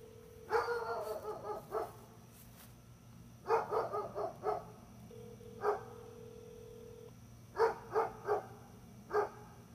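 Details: Gunner the dog barking in short bursts of three or four sharp barks, with pauses between groups, over a steady low hum and a faint tonal whine in the background.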